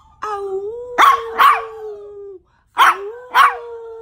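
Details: 1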